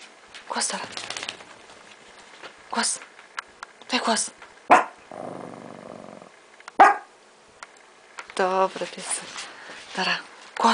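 A Miniature Pinscher gives sharp, high barks in scattered bursts, with a person's voice in between.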